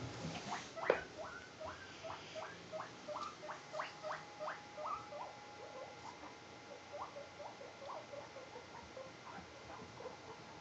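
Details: Two ex-rescue guinea pigs, a white Himalayan and a brown Abyssinian, playing and exploring indoors while awaiting food; a rapid run of short rising peeps, about two to three per second, softening toward the end, with faint background hum.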